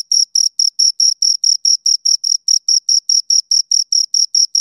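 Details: Pair of crickets giving rhythmic high-pitched chirps, slightly longer pulses spaced about four per second, clear and unaccompanied by any other noise.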